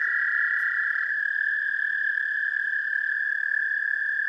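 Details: An American toad's sustained trill captured by parabolic microphone, a continuous high, buzzy-musical tone running unbroken through the whole few seconds, with faint background hiss.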